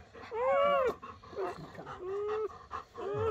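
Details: Whimpering of newborn German Shepherd puppies born to Betty overnight under a dim camping light. One arched whine rises and drops, then a flatter, steady whine follows, with short squeaks between.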